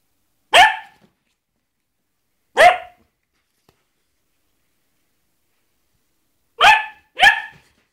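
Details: A Basset Hound named Adolf, trying to scare a glove, gives four deep, harmonic barks, two spaced singly and then a quick pair.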